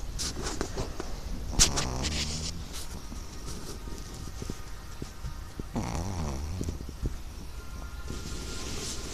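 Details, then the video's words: Sleeping Chihuahua snoring, with two rasping breaths about four seconds apart, each sweeping through low harmonic bands, over a steady low hum and hiss. "Snoring Chihuahua"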